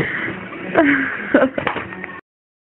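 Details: A male Rhodesian Ridgeback gives a few short, moaning howls that bend downward in pitch, as if singing.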